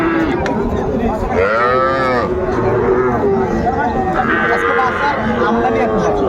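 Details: Calves at a Mymensingh cattle market on 14 January 2025, small bulls and heifers on sale to a farmer. One clear arching, harmonic moo swells and fades near the middle, a second follows later, with market chatter throughout.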